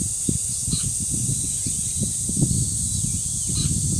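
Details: Cicadas drone in a flat, piercing high tone at Deoksan village's dangsan, South Korea, with wind gusts below and several short, clear bird chirps rising and falling over the buzz.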